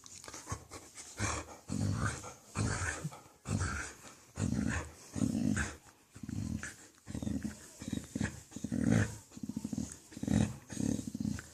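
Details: A pet dog makes weird noises while enjoying a good petting indoors: low, throaty grumbling and growl-like moans in bursts about every half to one second, with breathy panting between.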